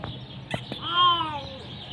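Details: A hungry kitten gives a single arched meow before eating, rising and then falling over about half a second, with clicks and a person calling "coming, coming" nearby.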